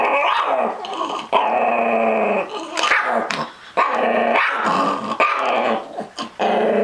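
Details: Small Chihuahua-Miniature Pinscher mix dog guarding his treats, producing near-continuous harmonic growls broken by sharp snappy yips and bark-like bursts, the growling swelling and dipping over several seconds.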